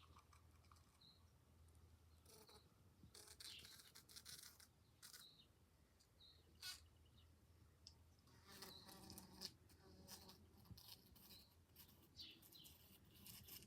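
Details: In July, a bee trapped at a window buzzes in loud, irregular bursts with sharp taps between the buzzes, noisy enough to wake someone.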